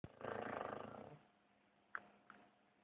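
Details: A pet dog snoring: one long, raspy, rumbling breath lasting about a second, then near silence broken by two brief faint squeaky blips.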